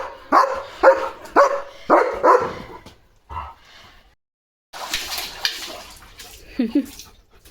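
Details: Evening guard duty at a farm: a German Shepherd gives five quick, harsh barks in a row, then a single bark, a pause, and a noisy burst followed by a lower whine-like sound.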